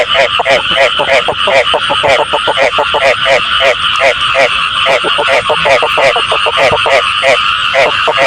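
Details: Frog voices for catching frogs: quick series of nasal, pulsed croaks, roughly three to five a second, several callers overlapping in a steady, dense chorus.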